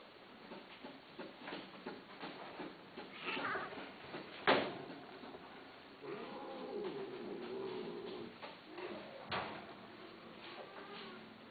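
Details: A pet cat makes a soft, wavering meow that rises and then trails off midway. Scattered clicks, thumps and faint room noise surround it.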